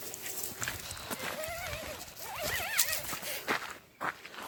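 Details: Dog making a strange noise: a wavering, warbling, howl-like voice that rises and falls in a long run, then a second higher, wobbling burst, over rustling background noise with faint human voices.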